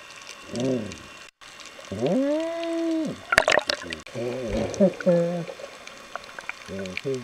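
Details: Underwater Galapagos sea lion vocalizing on a snorkel outing: a long, level, harmonic moan that rises and drops away, then stacked pulsed barks and short honks, all against crackling, fizzing underwater background noise.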